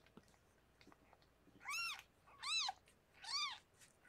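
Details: Three bright, high-pitched arched mews, close together at under a second apart, during the birth of six kittens to Harlequin, a rescued pregnant cat kept indoors by foster carers; faint soft rustling between calls.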